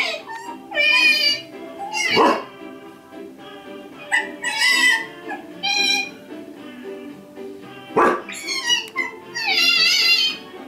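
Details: Indoor corgi goes ballistic, barking at squealing otters on a screen; two sharp, loud barks about six seconds apart, set among high, wavering otter squeals and background music.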